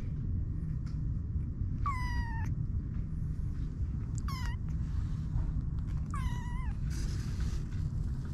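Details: Kitten meows from 25-day-old stray kittens born at a local car shop: three clear, drawn-out, high meows that waver and fall in pitch, spaced about two seconds apart, over a constant low rumble.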